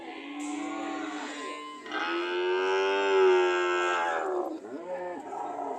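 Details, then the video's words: Cows ready to leave produce overlapping, continuous moos: a steady low call flows into a louder, long, harmonic-rich bellow that swells and fades, then a shorter rising moo. "The sound of Cows ready to leave"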